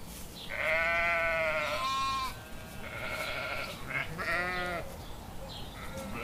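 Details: Several sheep bleating in a cute sheep compilation: overlapping trembling harmonic bleats of different pitches, one long cry followed by shorter wavering ones.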